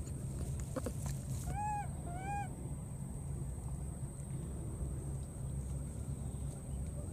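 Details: Wild baby monkey, having recklessly crossed water, calls out while searching for its friend: two clear, arched, tonal coos in quick succession, with a low rumbling background and a steady high-pitched whine.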